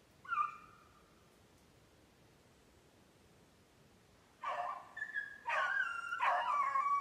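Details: A Beagle being conditioned on snowshoe hare in Maine, July 14, 2019. A short bay sounds first, then a long silence. Three loud, rough, drawn-out bays follow close together near the end.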